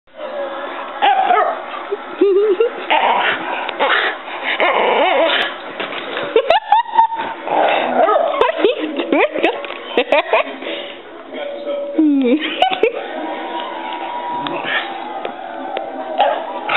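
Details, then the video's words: Pet dog wearing a post-surgery cone, making long howling "aroo" sounds that rise and fall in pitch, with bouncing movement on a couch; a person's voice is heard talking alongside the dog throughout. "Emily & Her "Aroos""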